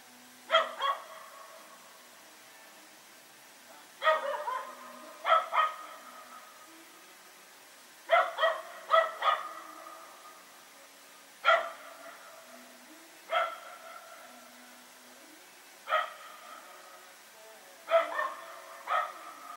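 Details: Night barking from Rex and another dog running around, recorded September 21, 2018; sharp barks, often doubled or tripled, repeat every one to two seconds across the recording, each ringing briefly afterward.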